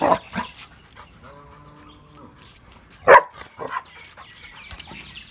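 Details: A female Rottweiler gives a few deep, sharp barks on a guard command ("Go"), then a person briefly praises her.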